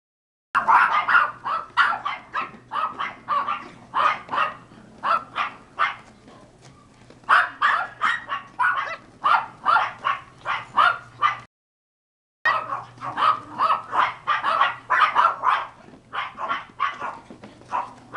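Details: Pomeranian (German dwarf spitz) puppies, cream sable line, linked to Skyler and Ivy: rapid high yapping barks in dense overlapping bursts, several pups calling together, with a brief silent break near the middle before the barking resumes.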